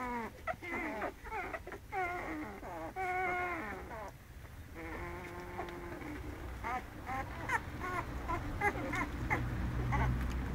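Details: American Staffordshire Terrier puppies crying: drawn-out, bending whines that rise and fall, several overlapping. They fade briefly midway, then return as softer, shorter squeaks over a low background rumble.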